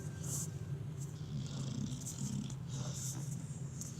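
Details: Two dogs snoring indoors, a low rumbling drone held steady under faint higher hiss, with a person's voice remarking on the snoring.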